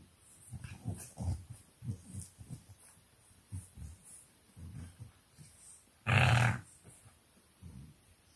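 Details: English Bulldog puppies playing in their pen at 4 am in a Nairobi, Kenya home: low rumbling grunts and short growls come in irregular bursts, with one sharp, loud scuffle or yelp near the end.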